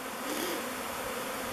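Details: A honey bee swarm circles the mouth of a log hive before descending and entering, taking turns at the entrance; a thick, continuous buzzing hum, close and loud, with no other sounds.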